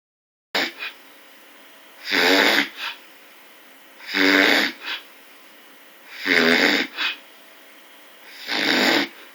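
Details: Snoring bear: harsh, breathy rasps about every two seconds, five snores in all, the first short and faint, the rest long and noisy with a soft hiss between them.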